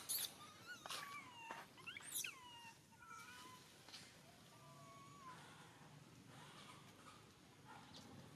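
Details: Baby monkey kept as a pet, crying and screaming: a run of high, tonal wails that slide downward, several overlapping, with a few sharp shrill squeals near the start and a soft rustling background.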